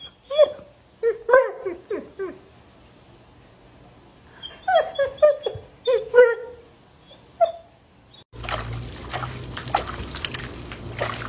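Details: German Shepherd puppy giving short, high, falling whines in loose bursts with pauses between them, followed by a sudden burst of loud, broadband noise.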